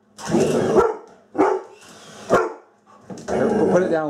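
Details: Female Labrador Retriever acting tough during play in a kitchen, described as really a timid dog: short, harsh barks in separate bursts, about four in four seconds, mixed with a person's voice talking to her.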